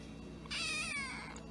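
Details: Cat from a funny baby-cat compilation giving a single drawn-out, high, bright meow of just under a second that bends slightly downward, set against a quiet room background.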